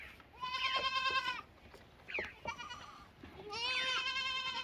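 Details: Lambs bleat repeatedly, with loud, drawn-out, quavering cries about a second long, separated by short gaps. One call drops lower and ends in a softer, deeper note.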